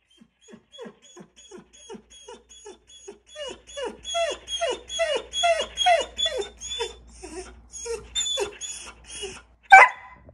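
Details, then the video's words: A 6-year-old adopted retired racing greyhound asking to go for a walk: a long series of short whines repeated about twice a second, building louder and rising toward the middle, then fading, ending with one sharp yelp. "When your greyhound wants to go for a walk"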